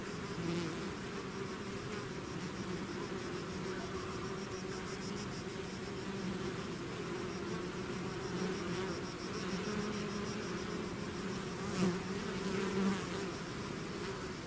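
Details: Bees swarming out of their hive fill the air with a dense, unbroken buzz, a low steady hum with a second, higher layer, holding even throughout, with small swells near the end.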